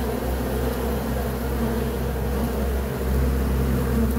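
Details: Bees humming in a deep, steady drone with strong low rumble beneath the buzz, swelling slightly near the end.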